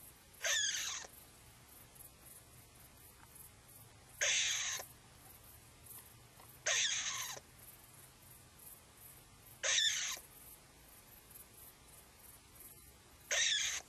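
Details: Five sharp, airy rasping bursts come from an upset edible dormouse that took fright after looking out of a hole. They are spaced a few seconds apart, with little else audible.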